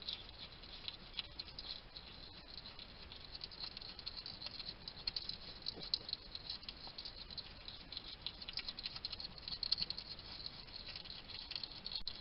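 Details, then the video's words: Wild male hedgehog eating at a feeding station in a Somerset, UK garden, picked up by a trail cam: continuous rustling patter of small crunching clicks and smacks, uneven in pace, with a faint hiss beneath. "Ever wonder what a hedgehog sounds like? This little guy chatting to himself while he eats."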